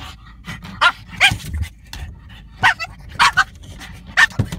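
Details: French bulldog going after a rear windshield wiper, short sharp barks spaced irregularly about half a second to a second apart, with snuffling breaths and low background rumble.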